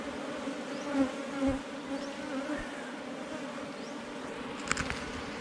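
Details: Honey bees humming at a rock-sheltered hive in the forest, found by a honey hunter. A softer, steady droning buzz with two stacked tones, brief louder swells early on, and a sharp click near the end.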